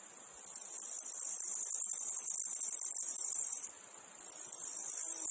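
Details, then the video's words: Cicadas and other insects in a meadow field: a steady, dense, high-pitched hissing buzz that drops out for about half a second, then swells back to full strength; no other sounds stand out. "Meadow field insects cicadas flies"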